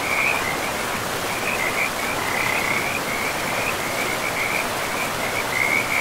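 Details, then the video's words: By a river in a pristine, mossy forest, frogs keep up a fast, high, pulsed trilling in short overlapping bursts, set against a continuous hiss and rumble of flowing water. "River and Frogs sleep sounds"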